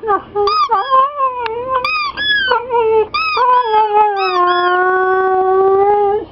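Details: A Siberian Husky whines when his squeaky toy is squeezed, in a wavering, tonal voice that ends in a long drawn-out note.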